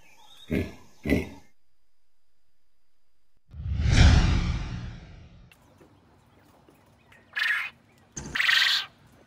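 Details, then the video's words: A hippopotamus gives a deep, rumbling honk like a low laugh, framed by two short snorts before it and two breathy bursts after. "Hippo Sound"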